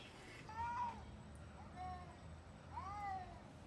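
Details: Cat giving three separate drawn-out meows, each arching up and falling, spaced about a second apart, fairly soft over a low background hum.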